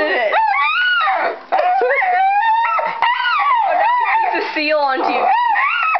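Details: Pet dog screaming at the TV and computer while watching: drawn-out, wavering high yowls with rising and falling pitch, nearly continuous for six seconds, as a person talks to him close by indoors.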